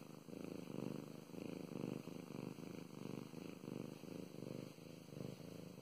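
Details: Domestic cat named Mow Mows purring while being petted indoors: a steady low rumbling purr that swells and fades in regular breaths, roughly one cycle per second.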